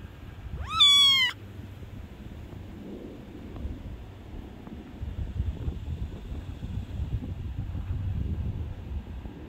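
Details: A male Scottish Fold cat gives one short, rising meow with a clear, harmonic tone.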